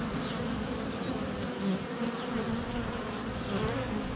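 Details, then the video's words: Honey bees buzzing in flight around the camera at a hive entrance, February sunshine, GoPro Hero 7 Black. A steady low hum of wings, with faint, short bird chirps high above throughout. "Honey Bees - ambient video and audio"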